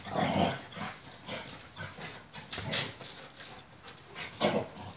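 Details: Akbaş shepherd dogs from Turkey, Zeyna and Güdük Reis, playing together: rough, breathy growls and short yipping bursts come in irregular clusters, loudest at the start and again near the end, with no other clear sounds.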